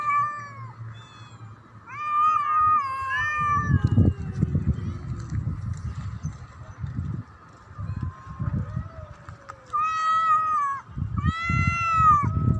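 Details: Black cat threatening another cat: wavering, quavering yowls in bursts, broken by long stretches of deep rumbling growls, then louder drawn-out wails near the end.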